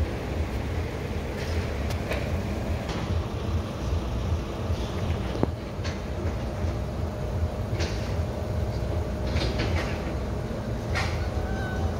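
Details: Loud rumbling train with rhythmic rail clatter and occasional clanks, no animal sounds audible.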